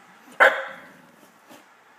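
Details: A pet dog named in the home, a female who dislikes having her picture taken, gives one short sharp bark followed by a fainter second sound about a second later, in a quiet room.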